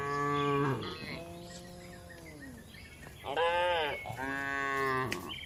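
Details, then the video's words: Calm cattle in a large livestock barn: a strong moo, a drawn-out lower moo sliding downward, then two more loud moos in quick succession, nasal and rich, amid quiet barn background. "Calm Cattle Sounds"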